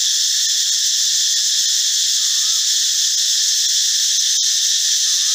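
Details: Male cicada calling loudly in a forest, heard in the mornings and sometimes at dusk: a steady, intense, high buzzing whine that continues without pause for the whole stretch.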